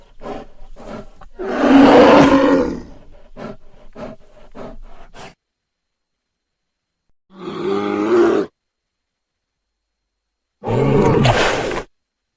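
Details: Bear giving a run of short rough grunts, then a loud harsh roar about a second long, followed by two more gruff roaring bursts separated by silent gaps.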